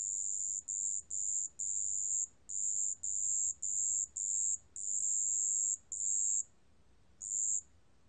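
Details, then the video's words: Marsh bell cricket in a 2020 National Institute of Biological Resources recording: high, pure ringing trills given in bursts of about half a second to a second, separated by short gaps, ending with a longer pause and a final short burst. "습지방울벌레, 1번 듣기, 곤충소리"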